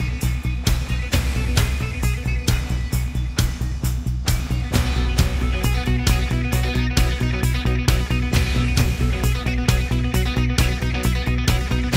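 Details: Loud rock music with guitar and a steady drum beat throughout, with no animal sounds.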